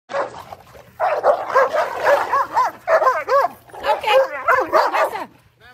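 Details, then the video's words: Cane Corso dog wanting to play, giving a long run of yodelling, bending moans and grumbles in wavering bursts, with a voice talking at the same time. "cane corso playing // cane corso wants to play"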